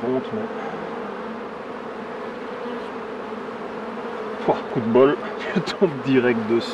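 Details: Honey bees humming around hives as a beekeeper works them: a steady, dense drone holds for about four seconds, then a man's French speech breaks in over the continuing buzz.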